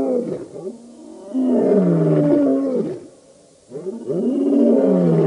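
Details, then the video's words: Lions of the Birmingham Boys coalition roaring at a dam in Djuma Game Reserve, Sabi Sand, Kruger Park, South Africa, August 2016; long deep harmonic roars, swelling and sliding downward, with a short pause between bouts. "Birmingham Boys roaring at the dam"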